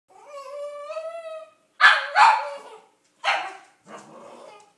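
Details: Female Cavalier King Charles Spaniel, excited and eager for a car ride, gives a long drawn-out whining howl with rich harmonics, then two sharp barks in quick succession, another bark, and a softer trailing yip.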